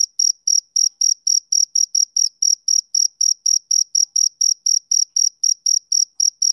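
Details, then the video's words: High, piercing chirps of a male cricket on a summer evening, pulsing at about four per second with slight unevenness in spacing; no birds, voices or other noise. "Cricket Chirping Sound Effect"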